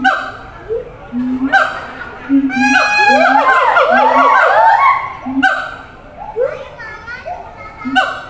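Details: Siamang at a zoo calling to distant caged companions: low booms and rising whoops, swelling into a dense climbing chorus of overlapping calls in the middle before easing back to spaced notes.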